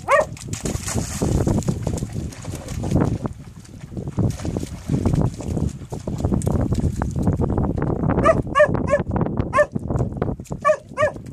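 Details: Malic the dog playing a favourite game in April 2015, barking at rocks: eight seconds of steady scraping and clattering of stones, then a quick run of about eight sharp, ringing barks in the final three seconds.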